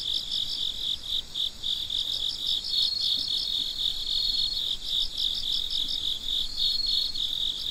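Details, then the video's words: Midnight crickets in a continuous shrill chorus: an unbroken high buzz with quick stuttering chirp groups and a thin sustained tone drifting in and out. "Gece Cırcır Böceklerinin Sesi - Huzur Veren Sesler - The Sound of Crickets"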